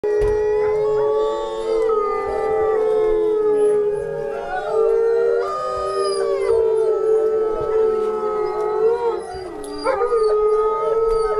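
Several wolves howl together in long, sustained, overlapping tones that slide gently up and down.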